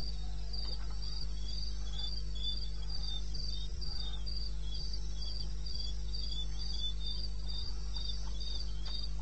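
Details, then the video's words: Crickets calling in darkness in the eastern Botswana wilderness, 21 May 16, 2:30 AM: a regular stream of sharp high chirps, two callers interleaving at slightly different pitches, beneath which runs a flat low hum. "1 Hour cricket sound"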